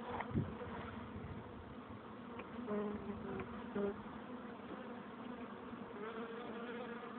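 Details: Hive entrance of honey bees humming steadily; constant low buzzing of many insects, with a few short louder passes of individual bees flying close around the middle.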